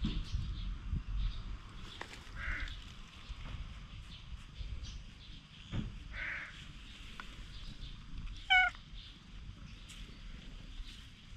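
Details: Stray cat running away, filmed on a GoPro HERO8 Black: one short, bright meow with stacked harmonics near the end, over a steady low outdoor rumble with scattered faint knocks and rustles.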